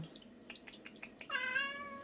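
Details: At an island-village cat shelter housing some forty rescued animals, Bomi the sweet-voiced cat follows a run of light tapping clicks with a single long, clear meow that holds its pitch and then slowly tails off.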